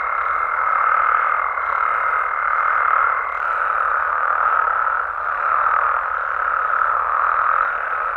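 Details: Night chorus of Mexican frogs and toads in their natural habitat, a thick continuous wash of overlapping calls. A steady high piping tone holds for the first three seconds, then only the droning chorus carries on.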